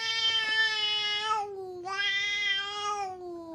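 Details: Stray cats in a fight at a bar on a cat island in Japan, heard as a sustained, nasal, tonal howl in two long drawn-out phrases, each steady then dipping slightly, with barely a gap between them.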